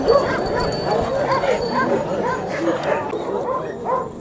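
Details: Pakistani Bully Kutta, a big-sized dog, barking in a dense run of overlapping, harmonic barks with hardly a pause, joined by a faint steady high tone and some background voices.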